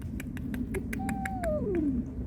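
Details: Cat crying, said to be a mother guarding kittens from an intruder or a kitten seeking its mother; a single thin meow gliding steadily downward over low background hum and regular clicking.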